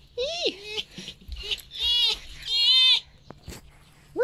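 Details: Female pet red fox enjoying belly rubs from her owner in the morning; several loud, nasal, high-pitched whines, some sliding upward, come in bursts of about half a second, with a click and the owner's voice nearby.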